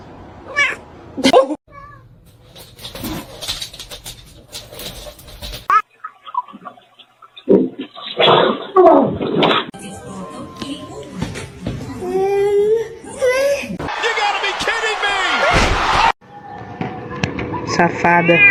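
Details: Domestic cat meowing amid household chatter: drawn-out wavering meows and a long loud yowl, mixed with people talking and laughing and indoor noises.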